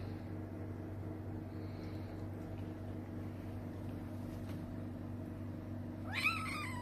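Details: A rescued black kitten, taken in during a fishing trip and now with an older man, gives one short high meow near the end that rises, then falls, over a steady low indoor hum.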